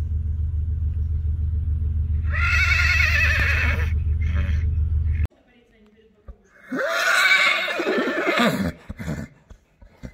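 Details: Arabian horse neighing: two loud whinnies with shaky, wavering harmonics, the second one sliding downward in pitch, the first set over a steady low hum that stops abruptly midway.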